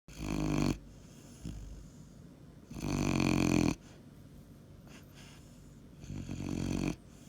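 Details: A Weimaraner puppy snores in slow, rasping bursts, each long rattling breath separated by quiet pauses, which is usual for this dog.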